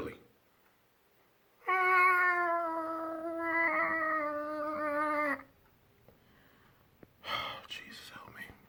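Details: Two cats heard outdoors: a sustained wavering yowl of about four seconds, then quiet, followed by a brief whisper.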